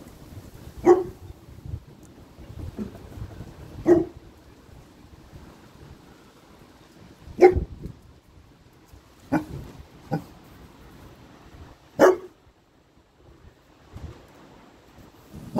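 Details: Boerboel puppy named Bailey on guard, giving single deep barks spaced a few seconds apart, about six in all, in a quiet indoor setting with faint background rustle between barks.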